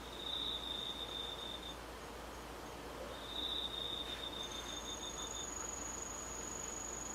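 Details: Autumn insects singing under the moon on a night in August 2013: sustained high-pitched trills, one steady tone breaking off after a couple of seconds and resuming, then a second, higher continuous trill joining, over a faint background hiss.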